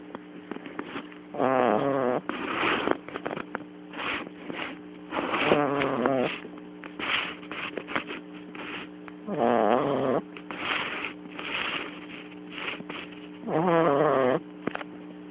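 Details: Kotetsu, a pet cat sleeping soundly on a lap and hard to wake, snores in rasping buzzy breaths about every four seconds with softer breaths between; recorded on a mobile phone, with faint rustling.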